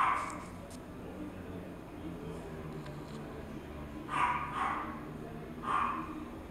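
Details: A toy poodle yaps once at the start, then gives a quick double bark and a final single bark after a quieter stretch of low room noise.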